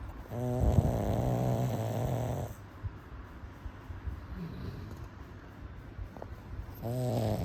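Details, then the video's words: Pug dog asleep, snoring in low, rattling, buzzy drones: a long snore of about two seconds, a quiet pause with soft breathing, then another snore starting near the end. "Pug dog snoring !!"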